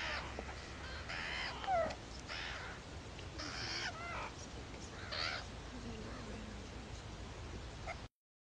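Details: Baby meerkats beg loudly for food from their babysitters: harsh, broadband rasping bursts come roughly every second or so, mixed with thin harmonic squeaks, over a steady low background hum.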